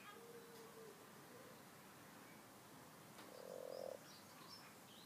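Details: Frogs in a rustic garden pond, twelve in total: two drawn-out, tonal croaks, the second louder and roughly a second long, with faint bird chirps in the background.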